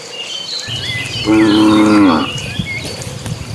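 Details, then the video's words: A steady, slightly falling moo of nearly a second from cattle among dozens moving toward green pasture, with high bird chirps before and after and soft background rustle. "Suara sapi lucu riang gembira"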